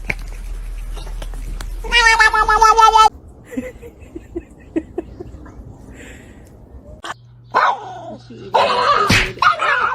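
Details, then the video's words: Domestic cat giving a loud, drawn-out harmonic meow lasting about a second, followed by quieter sounds, clicks and human speech. "cats meowing"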